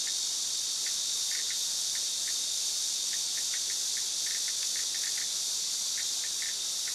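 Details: Cicada singing, a loud continuous high-pitched buzzing drone that holds steady throughout, with brief faint chirps flickering beneath it.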